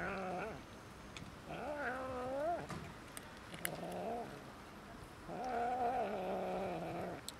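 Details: Cats and a kitten fighting over food give three drawn-out, low, nasal yowls, rising slightly then falling, the last one longest at about two seconds, with small clicks between.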